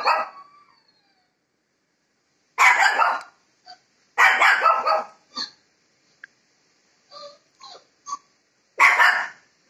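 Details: Shih Tzu puppy arguing with a Labrador puppy over a call: loud harsh bark bursts separated by short yips and soft whimpers, roughly three main outbursts across the stretch, in an indoor room.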